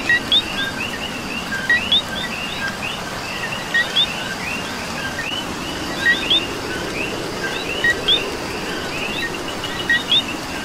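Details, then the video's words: Rainy Puerto Rico night chorus led by a coqui whose paired notes, a brief low tone leading into a rising whistled second note, recur irregularly about every two seconds amid many fainter chirping frogs and rain hiss. "Coqui and Rain"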